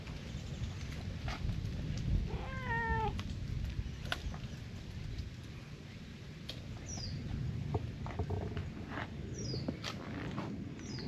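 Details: A lone stray brown tabby cat in a park, driven out of its territory, demands to be petted. It gives one clear, slightly falling meow near the start over a steady outdoor rumble, with faint high chirps later.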